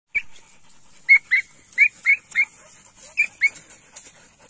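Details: Golden Retriever puppy giving short, high-pitched whimpering yelps, about eight in under four seconds, several in quick pairs, each a brief squeaky rise and fall, against a quiet background.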